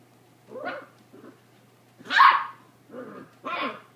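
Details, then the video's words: Beagles playing together in a barn: a few scattered gruff barks and grumbly play noises, one louder bark near the middle, over a faint low steady hum. "Beagles playing"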